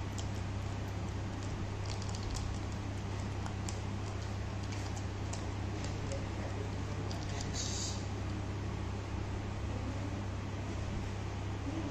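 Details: A steady low hum with broadband hiss fills the recording, with scattered faint clicks and no clear animal voice.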